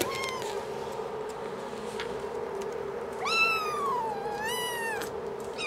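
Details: Five-week-old kittens meowing indoors: a short falling mew, then after a pause two longer, rising-then-falling meows with strong overtones, over a steady low hum.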